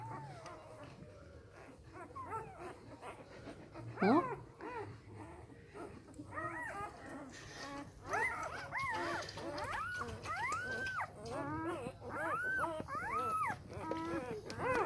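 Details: Samoyed puppies, three days old, from one litter: thin, wavering whimpers at first, one sharp upward squeal near four seconds, then a steady chorus of arched, nasal squeaks that grows busier toward the end over low background rumble.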